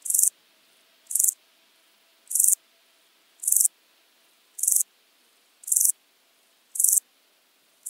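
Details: Common straw grasshopper, Illmitz, Austria, July 2020, via ultrasound detector: a steady series of short scratchy high-frequency bursts, one roughly every second, eight in a row, otherwise near silence.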